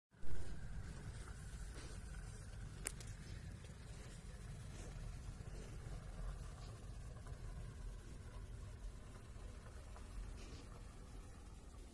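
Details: Low rumbling background noise, likely a vehicle or wind, with a faint tap near three seconds and no animal voices.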